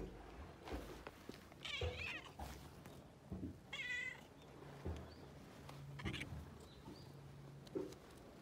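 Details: A petted cat mews twice in wavering, bent tones, the second brief and clear, amid soft handling noises, thumps and a constant low hum.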